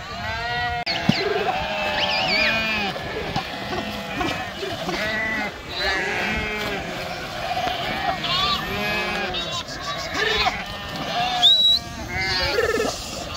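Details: Many sheep crossing the Krishna River by swimming bleat constantly, their nasal, arching calls overlapping in a dense chorus throughout, with rushing water noise and some human voices mixed in.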